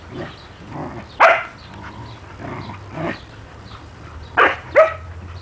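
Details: Standard poodle Juki, a mother dog living with her puppies Rufous and Brutus, at home: three short, sharp barks near 1, 4.5 and 5 seconds over soft human voices and room noise.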